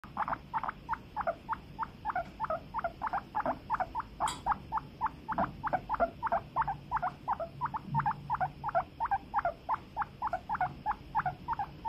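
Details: Guinea pigs: a rapid, steady run of short squeaky chirps, about three per second, continuing throughout with a faint click near the middle.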